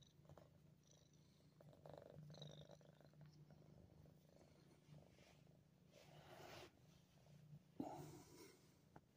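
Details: Gracie, a nine-month-old pet cat in Ottawa, Canada, recorded on December 28, 2022, purring in a low, steady, continuous rumble throughout, with a few soft rustling and handling noises over it.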